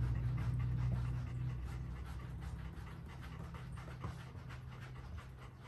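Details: Golden Retriever panting while being brushed indoors: quick, regular breathy pants at about four per second, louder at first then easing, with a low hum underneath.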